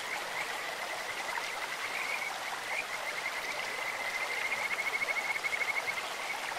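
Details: Kajika frogs calling in a clear stream: a high, bird-like trilled whistle held near one pitch, breaking into rapid pulsed notes toward the end, over steady rushing water.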